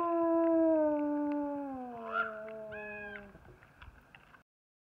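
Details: Long, smooth wolf howl from the International Wolf Center, a clear, richly harmonic tone drifting gradually downward for over three seconds before stopping, followed by faint scattered clicks in a quiet background.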